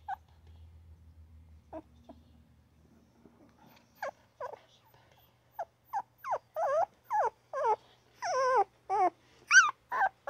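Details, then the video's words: Newborn puppy crying and yipping; near-silent faint squeaks for the first four seconds, then rapid short whines building in loudness into long wavering cries and a final high squeal. "Newborn puppy crying, yapping and grunting!!"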